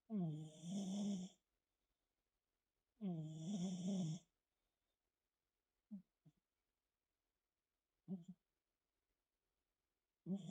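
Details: Sleeping brown tabby cat snoring: two long, loud, rough rattling breaths about two seconds apart, then shorter soft snorts at intervals, in an otherwise quiet room.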